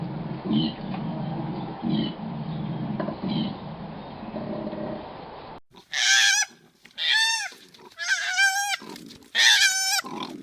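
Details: Koala calls from a sound-effect collection: low, rough grunting pulses first, then loud wavering, strongly harmonic cries repeated about once a second in short bursts.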